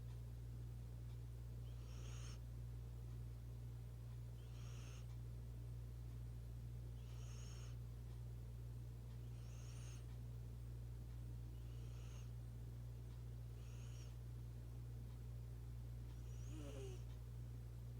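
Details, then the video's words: Sleeping pet cat snoring with loud, sudden breathing: seven regular airy, rasping bursts roughly every two and a half seconds, with a constant low electrical hum beneath. "Sus ronquidos"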